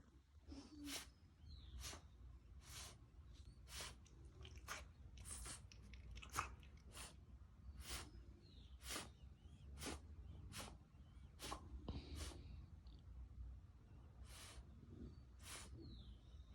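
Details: A blue French bulldog with kennel cough coughs in short, harsh bursts of dry hacking.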